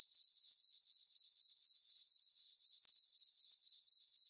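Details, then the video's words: Crickets chirping on a peaceful summer night in a meadow on a farm under a full moon: a steady high-pitched trill pulsing about four times per second, with no other sounds. "Cricket chirping sounds for sleeping"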